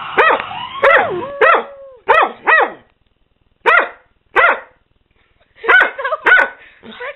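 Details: Pair of pet dogs, including a Catahoula leopard dog crossed with German shorthaired pointer, barking and howling in bursts: several arching yelps, a brief sliding howl, a pause near silence, then more clustered barks.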